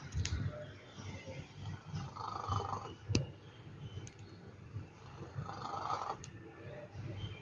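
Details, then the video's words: Sleeping cat snoring, a steady low rumble of breaths broken by two longer raspy, mid-pitched snore swells about three seconds apart, with a few faint clicks in a quiet indoor setting. "Have you ever heard a cat snore like this"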